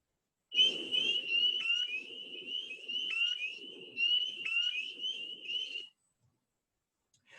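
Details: Spring peepers, small tree frogs, give their early-spring mating call in chorus: a dense stream of high, piping peeps blending into a steady shrill tone.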